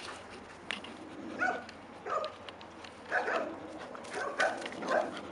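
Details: Eight-month-old Labrador Retriever named Bleka during her first fetch lessons, bringing back a stick; about five short, clipped barks spaced roughly one second apart over a quiet outdoor background.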